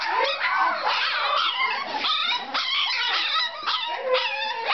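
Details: Puppies Jiva and Jericho, three weeks old, whimper and yelp in quick overlapping bursts, thin high voices bending upward and down, each cry lasting under a second with scarcely a pause.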